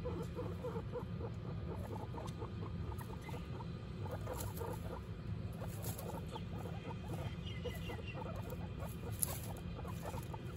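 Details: Domestic guinea pig family, mother Butter with her babies Lion, Tofu and Mochi, giving soft, quick squeaks and chirps repeated throughout over a steady low hum.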